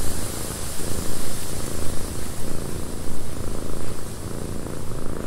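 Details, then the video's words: Purring cat in a cabin during windy weather; deep rumbling purr pulses in regular breath-linked waves roughly every half second to second, over a constant background of wind noise. "Cat Purring in a Windy Cabin 8 Hours of Blissful Purring"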